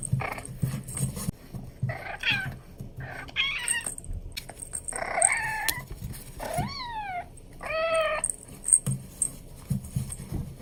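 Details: Playful Abyssinian kitten giving a run of high meows, some short and chirpy, others longer with a rising-then-falling pitch, about six calls in quick succession amid light rustling and handling noise.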